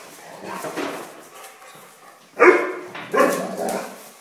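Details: Dog playing with a mouse gives two short harmonic barks, the first sharp and the second slightly longer, after a quiet stretch of soft rustling.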